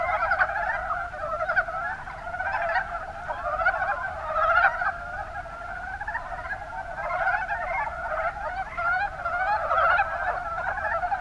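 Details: Mountain brown frogs in the Kuma Basin, Kumamoto, Japan, giving a continuous chorus. Overlapping strings of short, raspy croaks run throughout, with stronger bursts near the start, middle and end.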